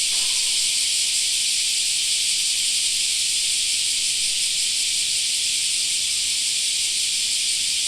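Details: Summer cicadas in a park: a steady, unbroken high shrill drone, loud and even from start to end, with nothing else standing out.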